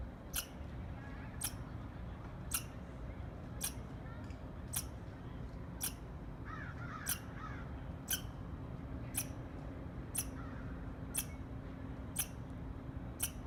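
Short, harsh chirps from a squirrel repeat at a steady pace of roughly one per second. A low rumble runs underneath, and a faint bird twitter briefly joins midway.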